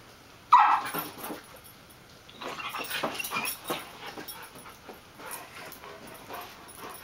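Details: Playful, energetic dogs romping together: a terrier mix, a golden retriever and a chocolate lab-weimaraner mix. A sharp yelp opens the sequence, followed by a stretch of rough, breathy growling and scuffling.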